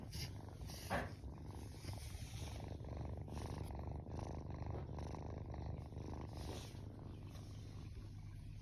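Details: Sleeping rescued tortoiseshell kitten, 21 days after rescue, lying with arms up; continuous low purring rumble with regular breathing pulses, a faint click near the start.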